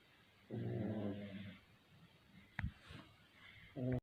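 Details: Two Pekingese snore loudly while sleeping, a low, buzzy, rattling rumble that repeats every few seconds.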